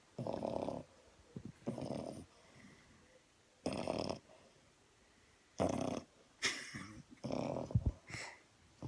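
A French Bulldog snores in rough, rasping bursts, each breath lasting under a second.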